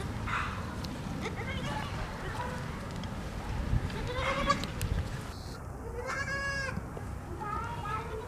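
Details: Baby goats, white kids, drinking milk; several bleats with stacked harmonics near six to seven seconds, an earlier bleat around four seconds, over a constant low rumble and faint background voices.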